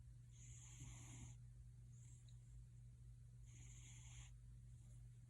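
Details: Rumbling, snore-like purr from the pet cat Gildong, with loud breathy pulses near the start and end and a softer one between, over a faint steady hum.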